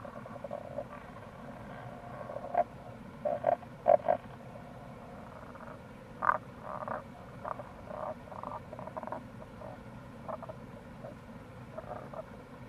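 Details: Rana tagoi, Tago's brown frog, recorded in April beside the Kamo River gorge in Itoshima, Fukuoka, Japan; short low grunting croaks in irregular clusters, several overlapping callers, steady flowing-water hiss behind.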